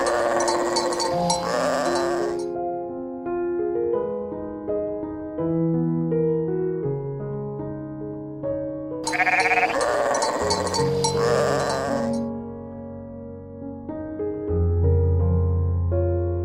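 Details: Two long shaky bleats from sheep out in the meadows among their fellows, about seven seconds apart, each harsh and tremulous, with soft music playing throughout.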